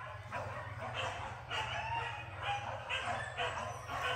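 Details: Max, a dog on its first training outing at a PORBI hunting gathering by Sungai Pingai, barks sharply in roughly half-second bursts over a steady low engine-like hum.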